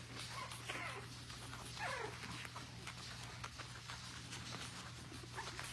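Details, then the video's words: Four-week-old puppies give two short whimpering cries, each a wavering squeal that slides downward, the first near the start and the second about a second later. Steady low electrical hum and scattered clicks and rustles continue throughout. "My Cute Puppies are 4 week old"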